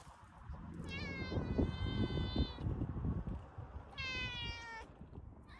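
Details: An affectionate tabby cat met by the sea gives two drawn-out, slightly rising meows over a low rumble of surf and wind.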